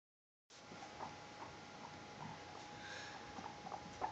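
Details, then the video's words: Two ex-rescue guinea pigs, Cuppycake, a white Himalayan, and Forge, a brown Abyssinian, play and explore indoors at Dublin Small Animal Rescue while waiting for their food; soft, short peeps come irregularly, several per second, over a steady electrical hum. "(Guinea) Pigs Playing, Peeping and Popcorning!"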